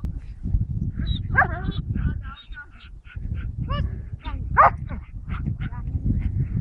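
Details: Belgian Malinois Mendy, a promising young female, during training at Lazany: a burst of harmonic, yelping barks with strongly bending pitch, several in quick succession, over steady low rumbling background noise.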